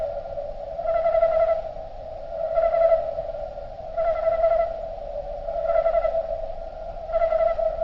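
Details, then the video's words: Crickets slowed down: a steady low drone runs throughout, with louder bursts of pulsing, harmonic-rich notes rising above it about every one and a half seconds, five bursts in all. "Nature Sound Of Crickets Slowed Down"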